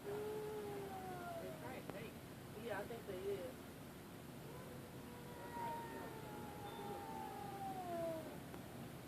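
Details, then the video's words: Two cats after midnight, standing still face to face as if about to fight and moving very slowly, trading long drawn-out wavering yowls that glide up and sag down in pitch, one overlapping another, while a person talks quietly nearby. "Werid cats makeing noise after midnight"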